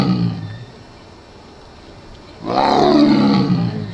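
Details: Thorn, a 1-year-old male Siberian tiger born in 2016 at Asahiyama Zoo, gives a loud, rough, harmonic roar after a quiet pause; recorded 12 November 2017.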